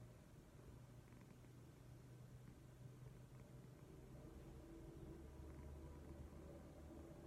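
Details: Pet cat Leo snoring loudly at rest indoors, a quiet low-pitched rumbling drone pulsing about four times a second with no other clear sounds.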